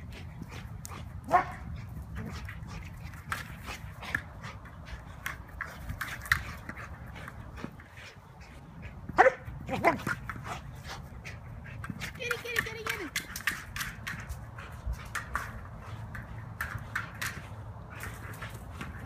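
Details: Tazz, a rescue Belgian Malinois, plays hard with a ball to burn off energy. Brief yelps and a short thin whine come through a steady rattle of clattering knocks and scuffs, with faint human voices in the background.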